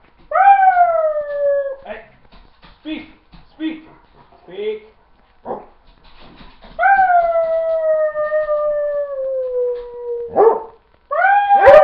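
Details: Domestic dog howls when told to speak, giving a long falling howl, a stretch of short yelps and snuffling, then a second long steady howl that ends abruptly before a final rising note.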